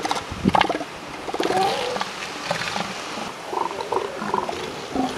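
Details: Northern elephant seals at a molting beach and pup site on the California and Oregon coast; a mix of gurgling grunts, short snorts and a few higher whining notes from several animals, with constant surf-like background hiss.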